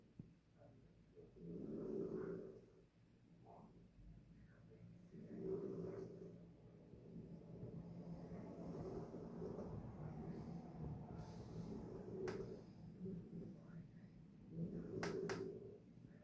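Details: Sleeping in her bed, Harriet the dog gives slow rumbling snores, each drawn-out rasping breath rising then easing off about every three seconds, with a couple of brief clicks in between.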